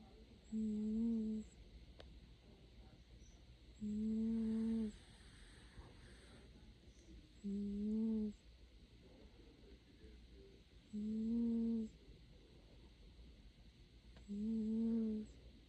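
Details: Sleeping cat snoring: steady, low, humming snores about a second long, repeating regularly roughly every three seconds, with quiet pauses of breath between them and a faint hiss in the background.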